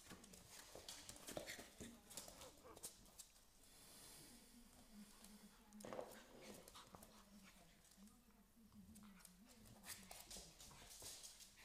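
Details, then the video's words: American Staffordshire Terrier puppy playing with a smaller Staffordshire Bull Terrier puppy; drawn-out whining tones wavering in pitch, with scuffling, panting and a person's voice in the background. "American Staffordshire Terrier and Staffordshire Bull Terrier puppies playing"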